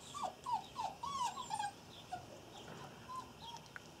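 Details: Irish Terrier puppies, a litter of six nearly 8 weeks old, whimper in a quick run of high, arching, whiny cries during the first two seconds. Softer, scattered whines follow, with light rustling and clicks behind them.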